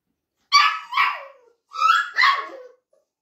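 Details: Lab mix retriever puppy barking: two pairs of high, bright yips, each with a short falling tail, the pairs separated by about a second of silence.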